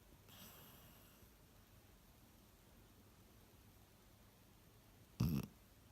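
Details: A sleeping Cocker Spaniel breathes softly, then lets out one deep, rattling, human-like snort of a snore.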